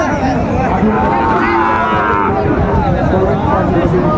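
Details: At the Raniganj livestock market in Dinajpur, Bangladesh, on 21 March 2024, a Sahiwal bull calf gives a long, arching low moo lasting about a second, with people talking and busy market noise throughout.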